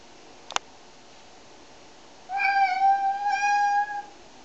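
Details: Domestic cat, one of three being shampooed, gives a long drawn-out meow lasting about two seconds with a steady then slightly falling pitch and rich overtones, preceded by a brief sharp click.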